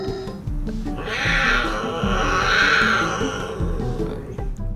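A cougar gives a harsh, raspy, drawn-out cry, like a very angry cat, over background music.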